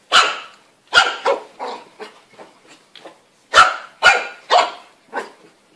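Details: Puppies barking in quick bursts, sharp high yappy barks roughly every half second in two clusters, with softer trailing yips between them and a brief pause in the middle.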